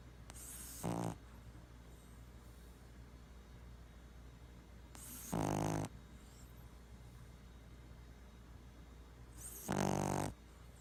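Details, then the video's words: Sleeping Boston Terrier snoring while twitching; three harsh rattling snores spaced about four to five seconds apart, each lasting under a second, over a constant low room hum. "Boston Terrier Freaky Snoring And Twitching Compilation"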